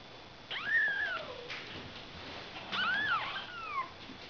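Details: Ragdoll kittens born on 31 March: two drawn-out, wavering meows that rise and then slide down, about two seconds apart, over quiet room noise.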